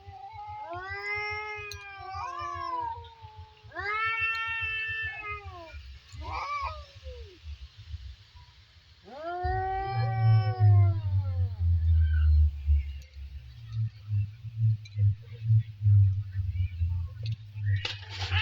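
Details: Two cats in a standoff trade repeated threatening yowls: several wavering, arched wails a couple of seconds apart, then a longer drawn-out howl. A steady low rumble and scattered thumps continue throughout.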